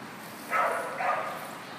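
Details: Two short bursts from a rescued Keeshond, part of a group saved from a New York puppy mill and arriving on 17 February 2014; the paired barks or yips are mid-pitched and spaced about half a second apart against a quiet background.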